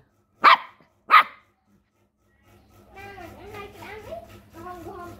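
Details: A puppy barks at a crab, giving two quick, sharp barks roughly half a second apart, followed by silence and then a person talking in a foreign language.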